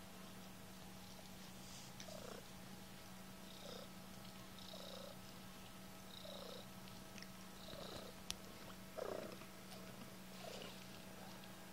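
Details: Low, unbroken purring from kittens, with short soft squeaky sounds repeated every second or two throughout, all at low volume.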